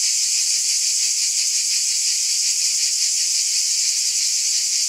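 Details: Cicadas in chorus on a summer night: a dense, steady, high-pitched hiss-like drone with a faint pulsing shimmer, no gaps and no other sounds.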